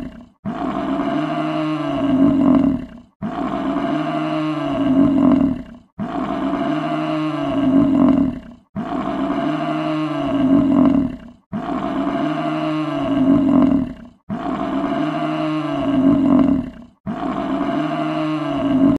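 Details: In the wild in the USA, an American bison gives low, growling bellows, each a drawn-out roar of about two and a half seconds, repeated steadily roughly every three seconds with short silences. American bison.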